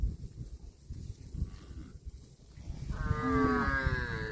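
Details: Cow eating grass: low crunching, tearing grazing noises fill the first three seconds, then one long, deep, harmonically rich moo rises and holds steady for over a second before fading.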